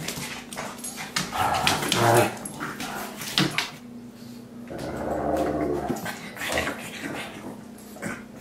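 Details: Pug and Great Dane playing together indoors in a home office; rough growling and whimpering vocalisations in bursts, with thumps and scuffling of play between them.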